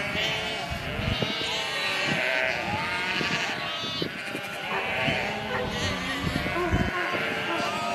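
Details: A herd of sheep with dense, continuous overlapping bleats, many voices wavering at once over constant knocking and rustling from the flock.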